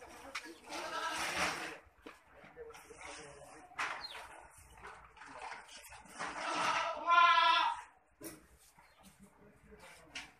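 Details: Boer goat on a goat development farm at Budhitola, Kailali, Nepal: a loud, wavering, harmonic bleat near the seventh second, with people talking and quieter farm noise around it.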